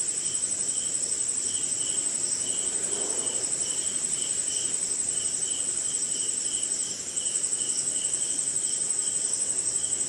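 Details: Crickets on a rainy night somewhere in India, an unbroken high shrill trill with a lower pulsed chirp repeating about twice a second, over a soft background hiss of rain.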